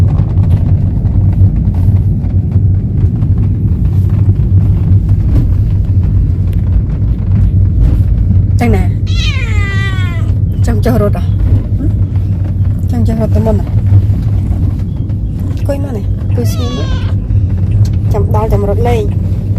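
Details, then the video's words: Chatty cat travelling for the first time on a sightseeing outing: about eight seconds of low background rumble, then a long wavering meow followed by a run of shorter meows spaced a second or two apart. "Talkative cat travel for the first time."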